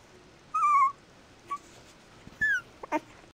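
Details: Mixed-breed puppy letting out a drawn-out, slightly wavering whine, followed by a brief soft squeak and a second falling whine, with faint scuffling noises.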